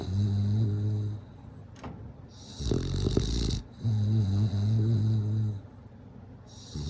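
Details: Bulldog snoring while asleep: low droning rattles alternating with heavier, noisier snorting breaths, the rhythm slow and uneven.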